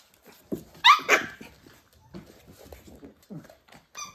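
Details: {'caption': 'Pembroke Welsh Corgi puppies, born 31 January 2023, playing indoors on 17 March 2023: two sharp, bright yaps close together, then soft scattered grunts and shuffling, ending with a short high whine.'}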